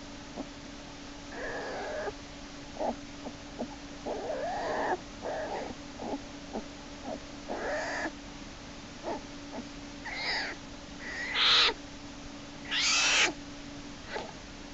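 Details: American black bear cub Jason screams and kicks in Lily's den on March 1, 2011, as Hope pulls him back inside by his back leg. Harsh, noisy squalling bursts repeat irregularly, growing loudest toward the end, over a steady electrical hum.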